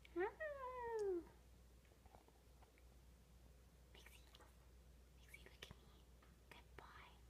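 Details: A calm corgi–Jack Russell mix dog gives one short, tonal whine that rises briefly and then slides down.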